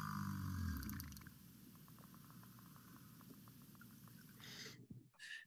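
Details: American alligators recorded underwater by a long-term passive acoustic recorder in an estuary in South Carolina, possibly the Great Salt Pond, give a deep, rumbling growl followed by steady low pulsing noise.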